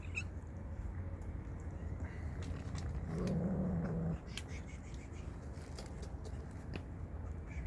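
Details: Street cats attacking each other out of hunger; a low, steady growling yowl swells for about a second midway, over a constant low rumble of background noise and scattered clicks.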